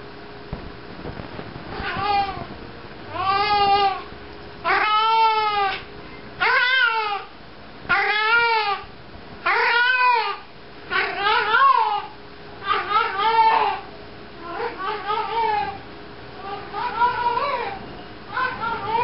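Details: Pet cat named Maggie walks around carrying a sock while meowing: a long series of drawn-out, wavering meows with rising then falling pitch, spaced about every one to two seconds, growing shorter and softer toward the end.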